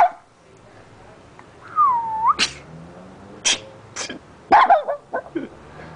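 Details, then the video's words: A neighbour's dog sneezing: short, sharp bursts of breathy noise come every second or so, some in quick pairs. A smooth whistled note dips and rises once before the first burst. "sneezing dog"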